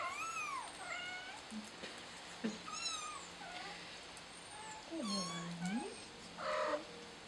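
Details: Kitten trapped on a flower pot, crying with a string of high, rising-and-falling meows, some short and some drawn out, with a lower wavering cry near the five-second mark.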